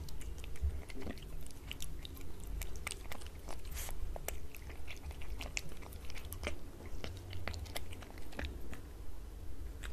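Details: Cat eating wet cat food from a glass table, close-miked: rapid wet chewing and biting clicks, sharp transients repeating about twice a second over a low indoor rumble.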